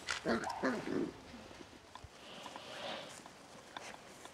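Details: Seven-week-old Beagle puppies from litter F: a few short, high, tonal whimpers and yips packed into the first second, each slightly wavering, followed by quiet rustling and soft background shuffling.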